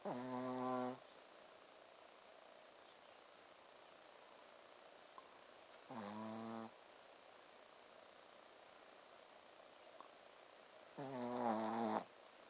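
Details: Ponzu, a sleeping Shih Tzu, snores 'buu, buu': three buzzy, harmonic snorts about five to six seconds apart, each under a second long, with a quiet indoor hush between them.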